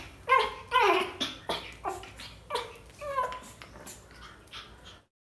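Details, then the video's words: Scared 45-day-old pug puppy whimpering indoors: a run of short, high, wavering yelps and whines, several clustered in the first second then repeated roughly every half second, fading toward the end. "Pug scaring | cute dog | 45 days old pug"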